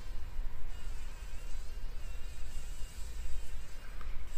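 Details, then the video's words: Fly fighting for its life in a spider web inside a workshop, early morning: a clearer buzzy drone with wavy, unsteady pitch, pulsing louder and softer about once a second, low rumble underneath. "Überlebenskampf einer Fliege im Spinnennetz"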